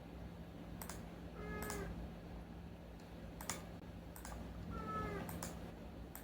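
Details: Two short, softer meows from Unagi-kun, a rescued domestic cat vocalising at night, separated by bursts of clicking and tapping, with a low steady hum beneath.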